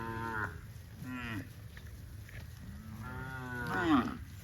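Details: Cattle among dozens of tame cows running in green grass rice fields on a farm; several short moos with harmonic bands, the last rising and louder near the end, over low background rumble.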